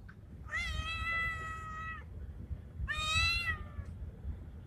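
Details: A male cat in heat, a Bengal-looking street cat, calls for a female with two drawn-out, strained meows, the first lasting about one and a half seconds, the second shorter, against steady low noise.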